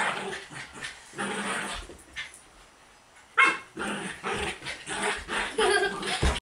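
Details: Buddha, a pet dog, roughhousing with girls during a play session indoors; short, harsh barks and growling yips in irregular bursts, with a brief sharp squeal midway and children's voices in the background.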